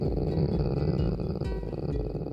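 A domestic dog gives a deep, continuous grumble, a rolling motorboat rumble from the throat with a steady pulsing texture. Unlike a growl, this sound expresses pleasure and contentment; faint music sits underneath.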